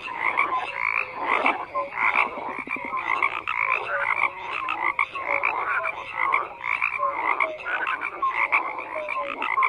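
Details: A loud chorus of frogs, many callers giving rough pulsed croaks and short clear notes in a continuous, swelling wall of sound.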